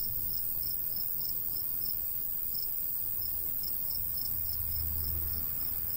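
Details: Crickets in summer countryside beside a golden wheat field, light breeze blowing: high chirps in bursts, pausing briefly midway before resuming, with a steady hiss above and a low hum rising toward the end.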